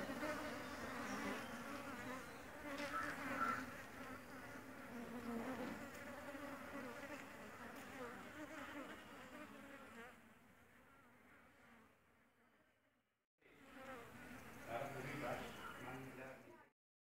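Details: A new honey bee colony foraging for pollen and nectar at a home-made feeder; thick humming drone of many bees that fades toward quiet, cuts out briefly, then returns with close buzzing before ending abruptly.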